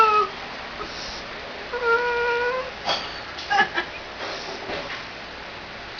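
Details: A female Jack Russell Terrier, eyes closed as if concentrating, gives drawn-out, creaky whining notes like a door creaking open, with a few short yips and soft voices in a quiet room; she has never done this before.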